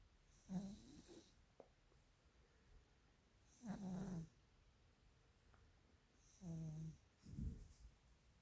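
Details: A sleeping, dreaming Maine Coon cat gives low, rough snores at uneven intervals of a few seconds.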